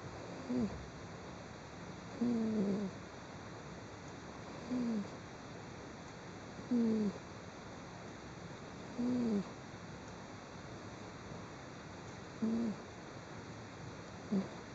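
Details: Sleeping cat snoring, recorded on 16 December 2010: short whistled nasal tones that dip slightly in pitch, one with each breath roughly every two to two and a half seconds, over a steady background hiss.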